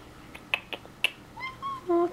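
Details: Male domestic cat meowing for a treat indoors: sharp snapping clicks first, then short high wavering meows sliding down, ending in a louder steady nasal note; a woman's voice nearby.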